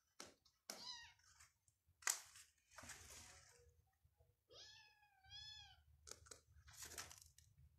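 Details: Persian cat at a cattery among playing cats and kittens, giving one clear, tonal meow lasting about a second that arches up and then falls, amid sharp clicks, taps and rustling handling noises in a small indoor room.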